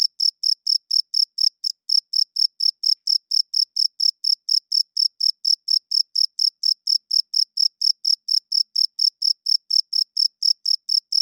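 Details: Loud nocturnal cricket chirping, a male signalling to females and marking territory with its wings; around forty-five piercing, high chirps pulse at a steady four per second, one brief hitch early on, nothing else audible.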